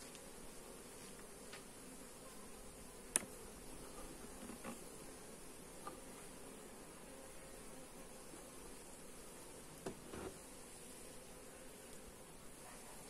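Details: Colony of honey bees humming during a hive inspection, captured with a Xiaomi Redmi Note 8 phone: an even, continuous drone broken by a few sharp clicks and light handling sounds.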